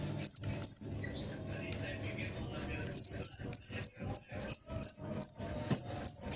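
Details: Cricket giving sharp, high trilled chirps, two early bursts, then a quieter gap before a steady run of chirps roughly every third of a second.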